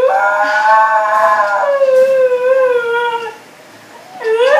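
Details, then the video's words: A pet Siberian Husky named Beatrice lets out a full howl that sinks gradually in pitch, goes quiet for a moment, then starts a fresh upward-sliding howl. "Siberian Husky Howling"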